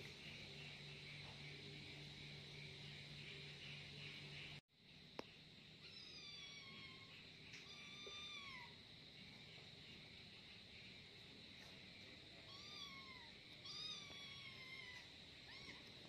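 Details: An angry kitten squabbling with its companion gives a string of meows, a pair in the middle and more toward the end, each bending down at the tail, against a constant high-pitched hiss and a low hum early on.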